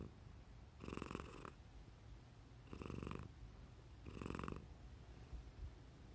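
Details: Cat making silly nose sounds indoors: three rattling, snore-like breaths about every one and a half seconds, each a buzzy wheeze of roughly half a second, with a low steady hum underneath.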